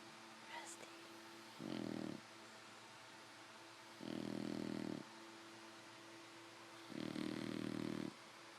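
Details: Five-month-old female English Bulldog puppy asleep in bed with her eyes open, snoring in three rough, buzzy bursts about every two and a half seconds, with a quiet room hum between them.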